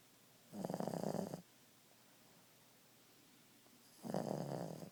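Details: Ziggie, a napping Boston Terrier, gives two raspy snores, each lasting about a second, separated by a few seconds of quiet breathing in a calm room.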